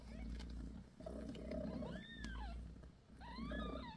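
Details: British Shorthair mother cat Bassy tending her kittens, her soft low purr running underneath several high, sliding kitten mews that rise and fall, two clear ones near the middle and a cluster at the end.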